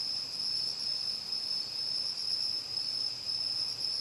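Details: Mixed autumn insects singing through the long night near a house in Uchiko, Ehime Prefecture: one continuous high-pitched ringing band with a softer pulsing shimmer higher up, no other voices.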